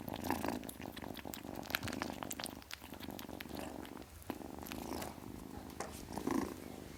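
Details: Young kitten purring, steady throaty vibration swelling on each breath, with light rustling in a small indoor space.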